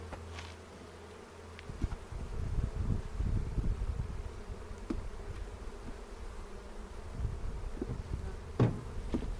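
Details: Spring inspection of a honey bee hive near Cochrane, April 27, 2018, recorded with a 360 camera while checking for queen cells; a continuous deep buzzing swells in the middle, with light clicks and a bump near the end.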